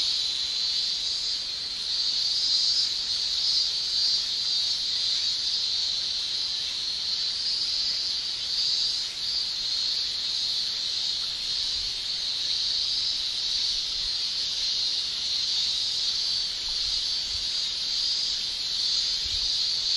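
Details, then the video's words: Cicadas in Japan in summer, males singing with their tymbals: a dense, unbroken high shrilling drone that holds steady for the whole stretch, with only slight swells in loudness and no other clear sounds. "Japan Summer Cicada Shrilling"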